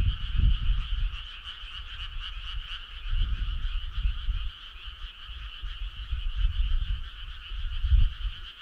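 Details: Summer-night frog choir, many callers blending into a continuous pulsed trill with rapid beats, accompanied by irregular deep low-pitched thuds and rumble.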